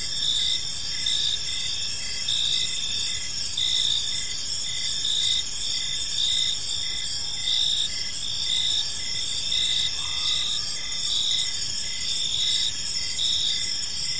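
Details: Evening in a serene park, crickets giving a steady high chorus: layered shrill trills hold unbroken throughout, some bands pulsing about once a second, over faint low rumble.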